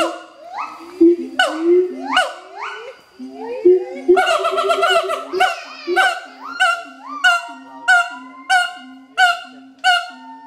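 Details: Territorial duet song by an adult siamang pair at Schmutzer Primate Center: rising whoops, a dense burst of overlapping calls near four seconds, then evenly spaced loud barks over low steady booming notes.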